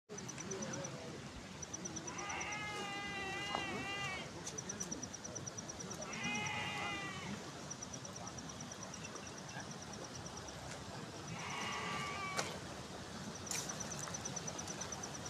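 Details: A sheep on a mountain gives three long, quavering bleats over a steady outdoor hiss and a faint high ticking.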